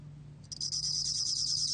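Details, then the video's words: Gom-bangul-beolle bell cricket singing, from a 2020 National Institute of Biological Resources recording: after a brief pause, a high, thin ringing trill begins with a few quick pulses, then runs on steadily, over a faint low steady hum. "곰방울벌레, 여러번 듣기, 곤충소리"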